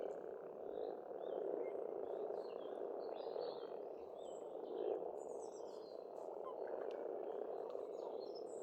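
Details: An Estonian farmstead pond in spring carries a thick, even chorus of croaking frogs, steady throughout, overlaid by scattered high bird chirps and short whistled notes.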